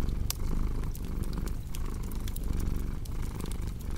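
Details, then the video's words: Low, continuous cat purr pulsing with the animal's breathing, overlaid by frequent bright snaps and crackles from a burning fireplace. "Purring Cat with Cozy Crackling Fireplace Sound"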